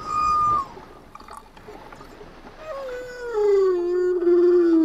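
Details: Humpback whales singing underwater: a steady high tonal note that drops, a stretch of hissy water noise, then a long slowly descending moan gliding down into a low sustained tone.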